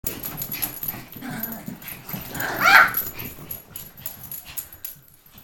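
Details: Indoor dog barking, worked up by a bird that got into the room from a small attic hole; a single sharp bark stands out mid-clip above low household background.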